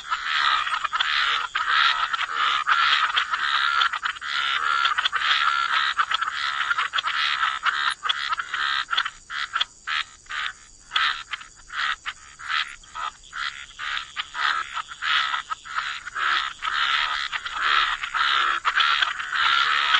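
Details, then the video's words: Dense frog chorus by the water, continuous rasping croaks blending together, breaking into rapid clicking pulses midway, over a steady high background drone. "Frog Lullaby: Relax to the Sound of Croaking Frogs"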